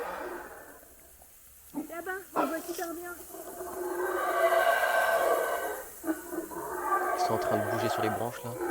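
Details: Small monkeys in the jungle at the Palenque ruins, Mexico, give a deep, rough, sustained roaring chorus from the forest canopy, with a person talking over the start.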